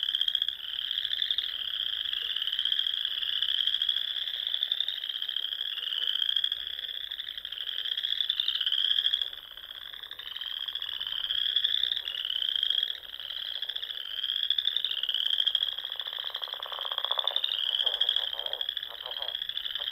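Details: Dense dusk chorus of countless frogs in the rolling Sandhills of Nebraska during spring: overlapping high, rattling trills rising and falling in pulsing waves, with a short dip midway and some lower rapid clicking near the end.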